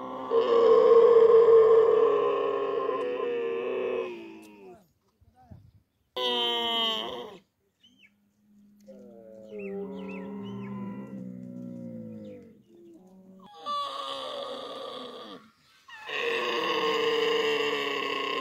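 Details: Camel vocalising while being milked by hand: loud, drawn-out nasal moans in several bursts separated by short pauses, with a quieter, lower groan in the middle and faint handling noises between calls.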